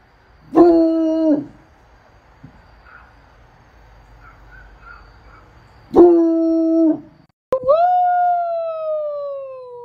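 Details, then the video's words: Bloodhound howls, given mostly when excited to communicate; two short, flat, one-second howls several seconds apart over faint background hum, then a longer howl that jumps up and slowly slides downward. "Howling Bloodhounds"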